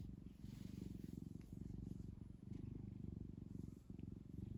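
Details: Pet cat purring while kneading a soft blanket; a steady, deep rumbling purr pulses rapidly and continuously, with faint brief rustles.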